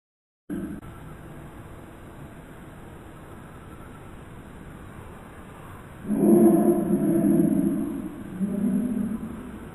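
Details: Indian bullfrog, Hoplobatrachus tigerinus, recorded close up: after a long stretch of steady low hiss, a loud, deep, rough croak swells at about six seconds and lasts over two seconds, then a shorter, lower croak follows near the end.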